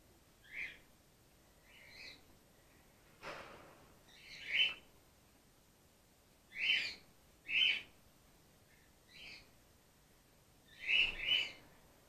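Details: Grey-headed flying-fox pup Gwickle, female, in care on day two and being support fed while her mother recovers from concussion; a series of high, squeaky, chirp-like calls, some doubled, coming irregularly every second or two.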